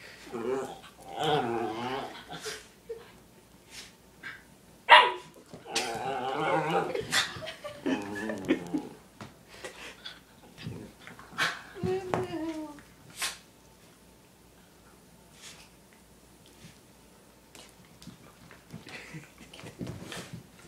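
Italian Greyhounds giving high, wavering whines and yips, mixed with short sharp barks.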